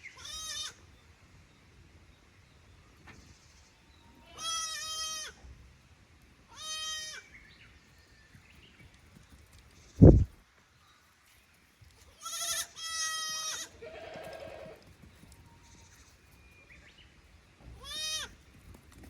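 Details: Kid goats from Yoshigake farm's lower pasture visiting the upper pasture in Japan, 15 May 2024, uneasy in a new place; repeated trembling bleats spaced a few seconds apart, one sharp knock midway, otherwise quiet surroundings.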